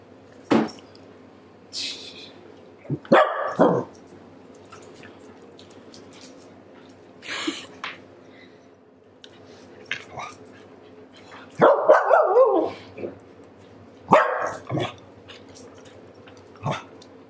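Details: Maple, a female Pembroke Welsh Corgi with attitude, voices disapproval indoors in a small room: sharp barks and growly grumbles in irregular bursts, some clustered rapidly, separated by quiet stretches and light rustling.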